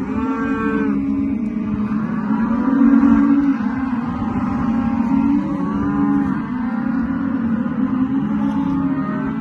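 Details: Rustic Angus, Brangus and Hereford calves calling continuously, several overlapping deep harmonic moos rising and falling in steady succession across the whole stretch, loudest near three seconds, with a constant background of herd noise.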